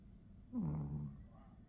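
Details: Pomeranian puppy asleep and snoring during a nap: a brief, low snore that slides slightly downward in pitch, about half a second long, with quiet room background around it.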